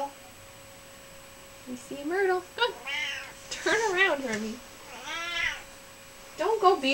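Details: Pet cat, a gentle, sassy female, talking in a room: a string of wavering, rising and falling meows, some drawn out and moaning, with a person chattering between calls and a faint steady hum.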